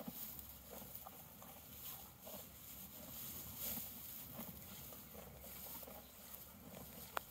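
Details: Hay being chewed by a horse in a field, even crunchy bites repeating about twice a second with light rustling and a steady low background.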